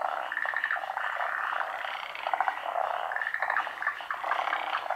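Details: Japanese forest green tree frogs calling during midday spawning in the rainy season. Many frogs give harsh, rapidly pulsed croaks with short bright trilled notes, forming an unbroken rattling chorus.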